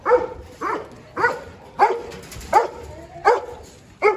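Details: Dobermann at a large kennel, giving loud, sharp barks repeated at an uneven pace, about seven in four seconds, each bark a short burst with a rough, mid-pitched tone.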